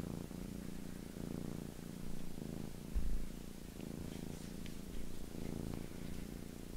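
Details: Pair of house cats grooming each other's faces indoors; deep continuous rumbling purr rising and falling in soft rhythmic waves, with faint clicks and game sounds in the background.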